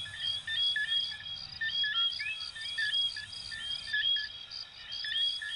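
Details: A dense chorus of coquí frogs from Venezuela and Puerto Rico gives short, clear two-note whistles that rise sharply and overlap constantly.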